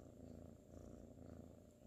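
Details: Sir Salmon, a sleepy ginger tabby kitten from 2019, purrs while cuddling: a steady low rumbling purr in soft pulsing waves, with no other clear sounds.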